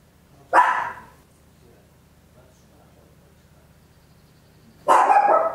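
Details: Home recording of a small Papillon barking very loud, made in stereo with an Olympus LS-11; two single sharp barks about four seconds apart over a faint low hum.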